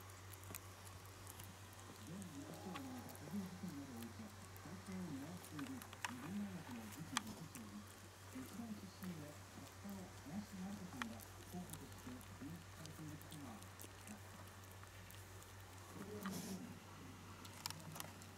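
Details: Young Shiba Inu puppy Kutsu, newly able to stand and walk, whimpering indoors; soft, quavering squeaks bend up and down in quick succession, then pause and return near the end, with a steady low hum underneath.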